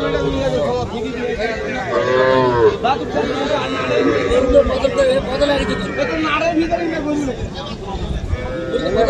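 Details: Cattle, small young Sahiwal bulls and heifer calves, at the Aftabganj livestock market on 3 February: deep, drawn-out moos rise and fall amid dense, continuous human chatter and shouting from the crowded market.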